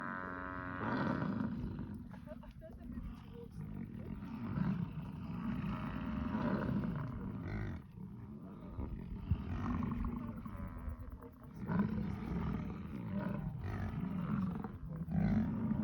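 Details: American bison bellowing during the rut in Yellowstone National Park: deep, rumbling, overlapping roars that run almost continuously for sixteen seconds, rising and falling in strength, with harmonic layers above the low growl.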